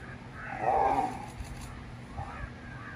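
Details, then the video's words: Lioness furious at a male lion: one short harsh snarling growl swelling and fading over about half a second, followed by quieter rasping growls, over a steady low background hum. "Lioness Furious at Male Lion"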